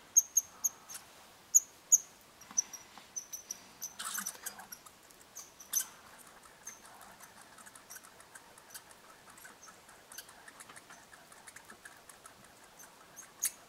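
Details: Red squirrels interacting at a bird hide in Eastern Canada: a cluster of sharp high squeaks at the start, a brief scrabbling burst, then mostly faint rustling and clicks with occasional chips.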